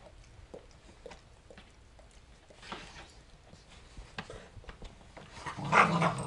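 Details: Two German Shorthaired Pointers, a smaller male and a larger female, play-fighting in a living room; scuffling thumps and short low dog growls, with a louder burst of vocal noise near the end.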